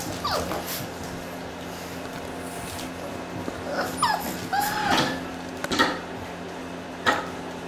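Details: Six-week-old Boxer puppies from a litter at play, giving short whines that slide downward and brief yelps scattered across several seconds, with soft thumps and scuffling from the play and a steady low hum underneath.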